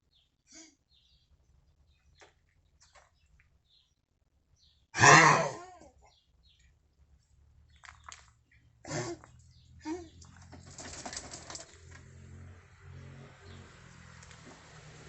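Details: Nine-year-old Central Asian Shepherd Dog (alabai) with an unexplained cough that comes with vomiting. One harsh, explosive cough bursts out about five seconds in, then weaker raspy sounds follow over low rustling indoor noise.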